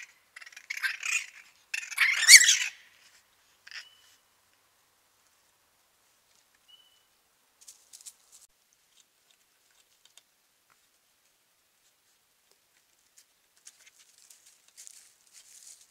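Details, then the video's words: A night-time raccoon fight opens with two loud, grating bursts of screeching chatter. A long near-silence follows, broken only by faint scattered clicks and rustles. "Raccoons fighting real sound at night"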